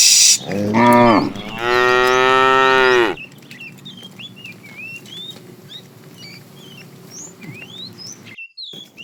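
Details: Cows herded out to green pasture in the morning: a short falling moo followed straight away by a longer, wavering one, then a stretch of busy bird chirping.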